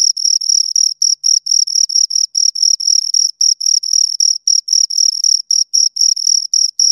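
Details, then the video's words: High, ringing chirps from two crickets, produced by stridulation, come in quick even bursts around four a second, an unbroken insect rhythm with no other sound. "Two Crickets Chirp Sounds"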